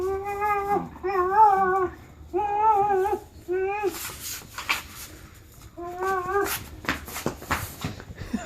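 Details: June 2015 recording of a dog called Charlie making a series of short, quavering, harmonic whines, four in the first four seconds then one more later, mixed with clattering and rustling noises indoors.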